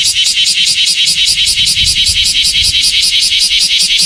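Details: Semi, the common cicada of Japan, heard in summer once the rainy season has finished: a loud, steady high-pitched buzz pulsing about two and a half times per second, evenly throughout.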